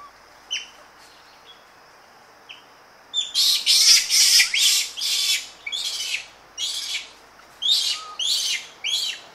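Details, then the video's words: Several Japanese macaques screaming close up: after a few isolated faint calls, a dense run of loud, hissy, broadband scream bursts starts about three seconds in and repeats roughly twice a second, with a steady high hum and birds in the background. "Japanese Macaque / CU Screams And Aggressive Calls. Rustling In Trees, Several Animals."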